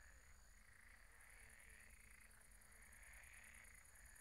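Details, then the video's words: Frogs calling together at a night-time pond, their croaks merging into a continuous rolling trill that swells and fades in waves, with a steady high-pitched hum and faint low rumble underneath. "Relaxing sounds of croaking frogs at the pond"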